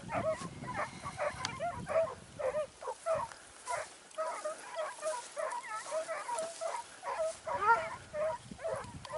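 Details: Sofiko, a Segugio Italiano hound, on a training hunt in Evros, 12 September 2018: dense, excited, rapid barking and yelping in uneven bursts, with a brief lull midway before the baying picks up again.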